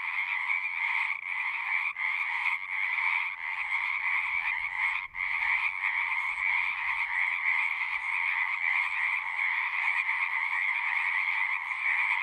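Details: Continuous loud frog chorus from a horse-pasture pond, taken with a Zoom recorder: dense overlapping trills holding steady throughout, a faint low rumble briefly underneath midway.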